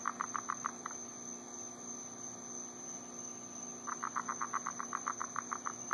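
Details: At night in Florida in summer, frogs call in quick bursts of sharp, evenly spaced pulses, a mating chorus over a steady electrical hum.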